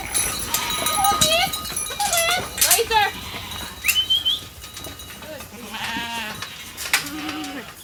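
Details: Sheep in a hungry flock gathered at a holding pen for the evening feed; scattered short bleats, some quavering and rising, others low, over clinking and shuffling noise.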